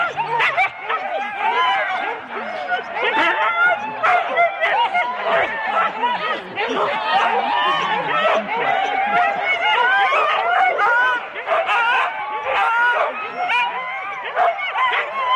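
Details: Four-dog Husky sled teams at the start in Rendlesham, January 2016, recorded on analogue cassette tape; a dense overlapping chorus of excited yelps, barks and whining cries from many dogs, steady throughout with sharp bursts.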